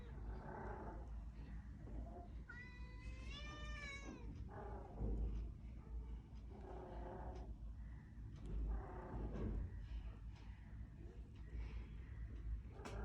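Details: Kitten newly arrived on a cold night, hoping to be let indoors yet wary of the household cat: one wavering, rising-then-falling meow lasting over a second, surrounded by soft human speech and low background rumble.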